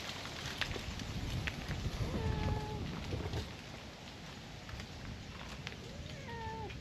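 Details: Lone stray brown tabby cat in a park, driven from its territory, demanding to be petted: two drawn-out, level meows around two and six seconds, the second sliding slightly downward at its end, over steady low rumbling background noise.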